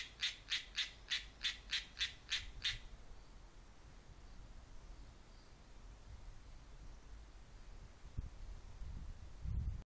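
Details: A Japanese tree frog, singing in a tree, gives a quick series of eight raspy, bright notes, about three per second.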